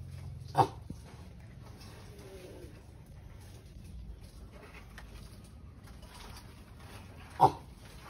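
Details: Pet sulcata tortoise mating, giving two short, forceful croaking grunts nearly seven seconds apart, with faint shuffling and a low background hum between them.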